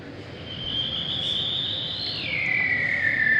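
A bearded seal's long, eerie whistled trill holds steady, then sweeps downward in an otherworldly glide.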